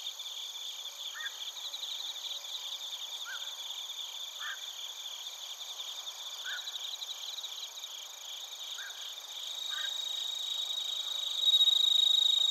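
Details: Suzumushi and other crickets singing in Narita, Chiba, Japan, captured on a TASCAM Portacapture X8; constant high pulsing trill chorus, with a few brief lower chirps scattered over it and the chorus swelling louder near the end.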